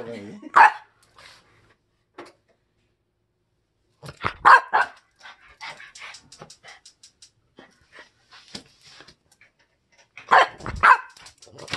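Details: Bori, a French Bulldog full of mischief after a bath, lets out short barks in scattered bursts, one early, a cluster midway and a double bark near the end, with rustling and voices in between.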